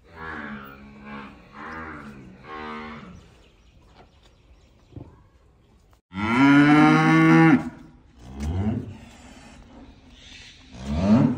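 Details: Young calves moo repeatedly: wavering, pulsing lowing at first, then after a quiet stretch a loud, sustained full-throated moo, followed by softer lows and a final rising call.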